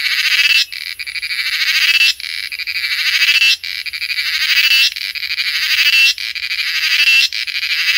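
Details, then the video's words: Cicada singing in Coorg, India: a loud, dry, buzzy drone that swells in pulsing waves and cuts off sharply about every one to one and a half seconds, then starts again, with no other sounds. "The Song of Cicada"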